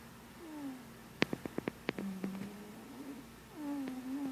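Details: Sleeping, dreaming pet cat making soft, drawn-out whimpering tones that slide and waver, with a quick burst of small clicking sounds in the middle over a steady low hiss.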